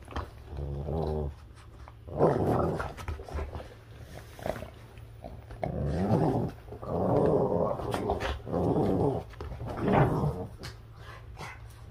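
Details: Boston Terriers playing a ferocious game of tug of war indoors: rough, rumbling growls in bursts of one to two seconds, rising and falling with the pulling, separated by short pauses with steady low hum behind.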